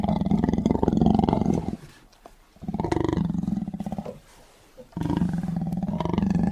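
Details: Angry tiger giving three drawn-out, throaty roars, each a rumbling, pulsed growl lasting one to two seconds, with short quiet gaps between them and nothing else audible.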